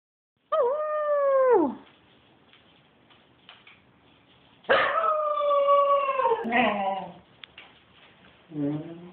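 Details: Pet dog going wild during play: a long, tonal howling yowl that slides down at its end, then a second drawn-out wavering howl breaking into yips, with a short whine closing.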